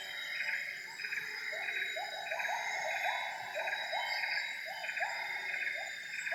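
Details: Wild gibbon song at 07:58 in Borneo's Semenggoh Nature Reserve, a forest where a mated pair duets from the canopy. Short rising whoops repeat about twice a second over throbbing insect choruses and high, steady cicada-like tones.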